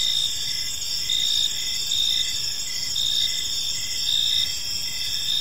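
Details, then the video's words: Park crickets at evening, several chirping together in high-pitched trills, with rhythmic louder bursts roughly each second over a constant buzzing background. "Park Serenade: Cricket Sounds in a Peaceful Park | Evening Ambience"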